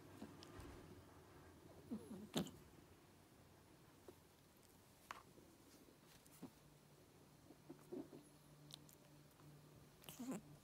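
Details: A Persian cat makes short, low, pig-like grunts and snorts in a few scattered bursts while playing.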